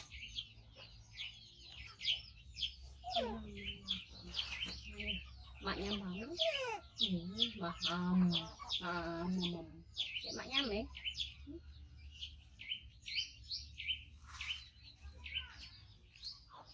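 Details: Rescued baby monkey, five months old and male, calls insistently as it waits to eat: steady, high, chirpy squeaks about once a second. A woman talks loudly through the middle.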